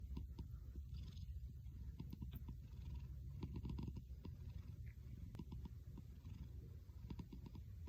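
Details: A house cat purring in a deep, rumbling way that sounds like snoring. Low, rough vibration swells and fades in steady breathing cycles, with faint clicks.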